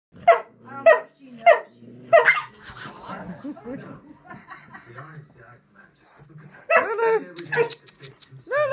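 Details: Silky Terrier play-fighting with a Doberman puppy about three months old, indoors: four sharp, loud barks about half a second apart, then low rough growling and scuffling, ending with people laughing and talking.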